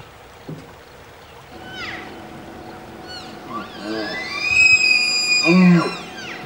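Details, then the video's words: Wapiti (elk) bull bugling in forest during the fall rut in early September, a call of challenge to other bulls and invitation to cows: a rising whistled tone climbing into a long high squeal, ending with a deep grunt. "Bugle Boys Wapiti"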